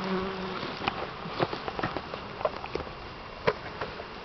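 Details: Honey bees buzz as three pounds of them are poured into a new hive, a continuous droning hum with a faint steady tone, over irregular clicks and taps from the hive equipment.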